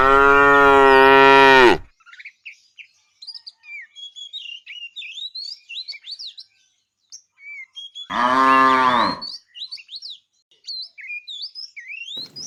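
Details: A fat tame cow in a herd being driven in the afternoon, calling the female: two long, loud, deep harmonic moos, one at the start and one near the middle, with many small high chirping birds in between and after.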